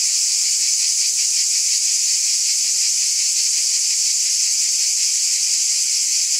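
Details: On a summer night, many cicadas sing together in a constant, sizzling high buzz with only slight rhythmic wavering and no breaks or other noises.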